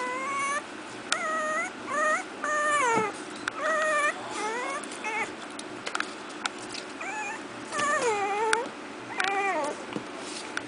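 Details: Four-week-old Miniature Pinscher puppies from a new litter at play, giving a run of thin, wavering whimpers that rise and fall, each lasting under a second, repeated about a dozen times with brief gaps and low background hum.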